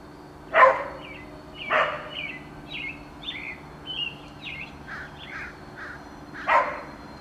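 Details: A dog barking on April 28, 2019: three loud, sharp single barks, two near the start and one near the end, while American Robins sing a continuous string of short whistled, downslurred phrases in between.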